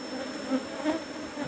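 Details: Apis cerana honey bees humming at hive box number 17 during a honey harvest. The drone is softer and even, swelling twice, with a thin steady high tone in the background.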